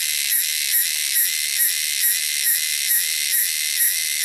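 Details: Wild cicadas from the wilderness: a loud, shrill, high buzzing drone with rhythmic pulses swelling about twice a second throughout.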